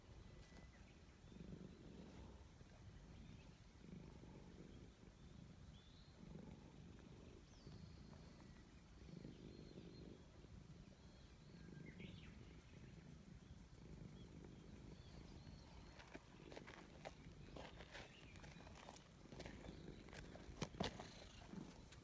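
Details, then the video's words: Cat purring as it is petted in a forest: low pulsing purr swelling and fading with each breath roughly every 2.5 seconds, thin birdsong above, and sharp clicking or rustling noises toward the end. "Petting a Cat in the Forest Natural Sound"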